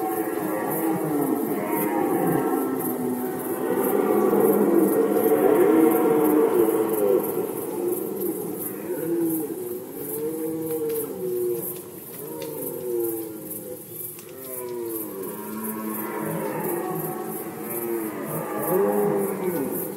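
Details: Rutting red deer in Poland in 2020 roar in long, deep, rasping bellows, then in short rising-and-falling groans, heard against a quick, regular, high ticking pulse.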